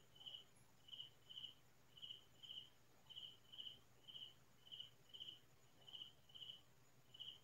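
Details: Cricket song heard around midnight in the fields, a calm rural night. Sharp, high chirps come in a steady run, about fourteen, sometimes in close pairs, over faint background hiss.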